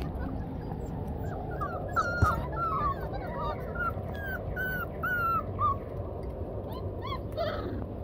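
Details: Yellow Labrador Retriever Blazer playing with four-week-old puppies; a run of short, high, arching whimpers and whines repeats over steady low background rumble, with a brief sharp knock near the middle and a rougher yelp at the end.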